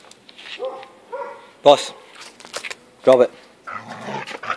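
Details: Older American Staffordshire Terrier Boss and five-month-old puppy Rocky playing tug of war indoors; two short harmonic whining notes lead into two loud, sharp bark bursts about a second and a half apart, then rough grumbling, with a man's voice calling commands.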